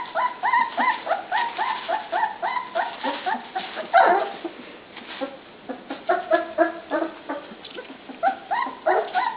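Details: Dog pups vocalizing at dinnertime, bursts of shrill upswept whines and yips in quick runs, a brief lull midway before the eager chorus picks up again.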